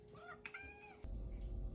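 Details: The OK Cat, a female pet cat famed since May 2021 for meows that sound like "okay", gives one short two-part meow with bending harmonics, then a sudden burst of low rumbling room noise.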